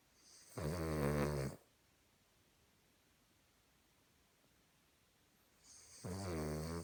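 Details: Human-like snoring from a dozing Cavalier King Charles Spaniel: two rumbling, buzzy snores about five seconds apart, each around a second long, with near silence between breaths.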